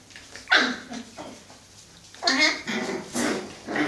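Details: Five-week-old Cocker Spaniel puppies play-fighting, giving short squeaky yelps and scratchy growling bursts in quick succession, several overlapping in a few seconds.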